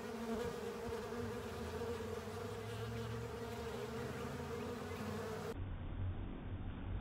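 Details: Honey bees and other insects swarm over a honey filter, cleaning it up; a steady, dense buzzing hum from many wings holds throughout, dropping to a duller, muffled drone near the end.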